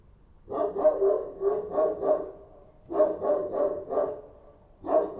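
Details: Kochi street dog barking at night in Kabul: loud, close, steady runs of deep barks, about five in a row, a pause, another run of four, then one more bark, with little other sound.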